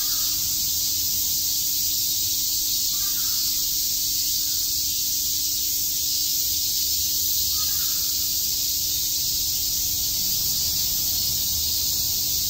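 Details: Cicadas chirping on a summer day in Shakujii Park, Tokyo: a dense, steady, hissing chorus that never pauses, with a faint low hum underneath.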